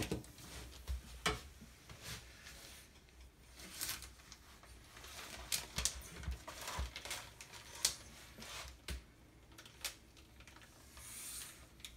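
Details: Indoor handling sounds in a small room: scattered sharp clicks, taps and rustles, with faint low hum and no animal voice.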